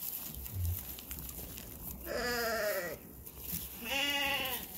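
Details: Dorper rams, male sheep, giving two wavering, harmonic-rich bleats, each lasting under a second with a brief pause between, over a low background rumble and faint noise.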